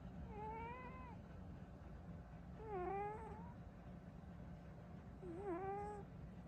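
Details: A sleeping female cat named Burrito snores with three whistling, wavering tones, each about a second long. They come roughly every two and a half seconds, in time with her breathing, over a faint background drone.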